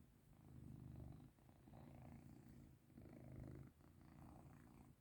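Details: Cat purring contentedly as it gets rubbed, a low throbbing purr in rhythmic pulses roughly every second and a half, pausing briefly between breaths; no other clear sounds.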